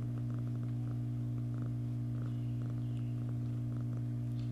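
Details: Domestic cat grooming herself, a steady low purring drone running throughout, overlaid with soft rhythmic licking clicks at roughly three per second.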